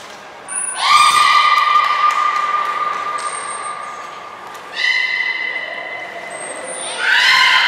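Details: Beluga Nana during training at Port of Nagoya Public Aquarium, 13 April 2019, gives long flat harmonic whistles, the first lasting about three seconds, a second starting near five seconds, with short high squeaks and a rising call at the end.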